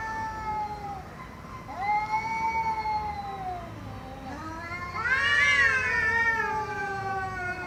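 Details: Cats meowing loudly with long, sustained wailing calls, one drawn-out meow bending slowly downward, then a louder, higher, strained yowl rising and falling, with constant low background rumble.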